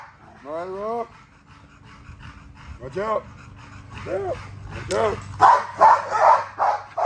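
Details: Female XL American Bully at exercise: several short, rising-falling whimpers with pauses, then a burst of loud, gruff barks in the final seconds.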